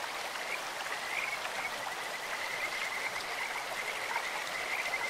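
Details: Kajika frogs calling in a clear stream: a string of short, high, bird-like trilled notes holding one pitch, repeated through the clip over a steady rush of flowing water.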